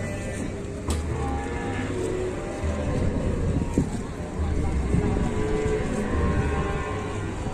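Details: Cattle stuck while four villagers help it climb onto a truck, giving deep, drawn-out lowing moos in long sustained stretches with a short pause midway, over a steady low rumble and scattered knocks.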